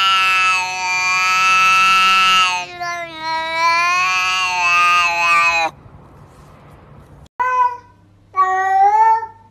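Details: Cat giving two long, drawn-out, strongly harmonic meows lasting several seconds each, followed after a short pause by two brief rising-falling meows; quiet indoor background.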